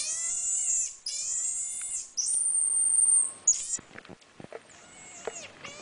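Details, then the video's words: Pet marmoset monkey making odd noises: long, high, thin whistled calls held steady for about a second each, a buzzier tonal note, then scattered short squeaks and clicks as the calling fades. "Monkey making weird noises"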